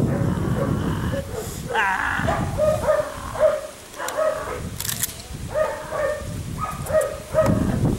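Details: Six-week-old Belgian Malinois puppy, a police and protection prospect, tested with gunfire, whip, stick and bite work: short high yelping barks repeated through the clip, with human voices and sharp cracks of noise in between.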